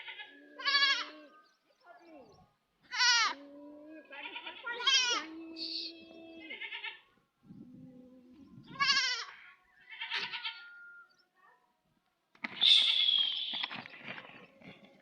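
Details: Baby goat crying amid several overlapping bleats of varied pitch, some wavering and descending, with low tonal sounds and scattered background noise between calls.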